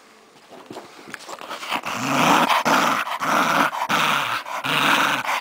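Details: Scottish Terrier named Cody growling during play time, a pet dog indoors; the growl starts after a quiet second, then rough broadband bursts repeat at a fast, uneven pace.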